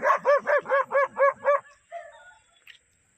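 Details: German Shepherd in attack training giving a fast run of seven sharp, evenly spaced barks, then trailing off into softer lower grumbles and a faint yelp.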